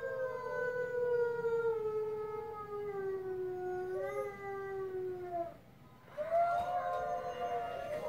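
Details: A Siberian Husky howls along with a wolf on TV: a drawn-out, mournful howl sinking over about five seconds, then after a brief pause a second, higher howl rises in answer.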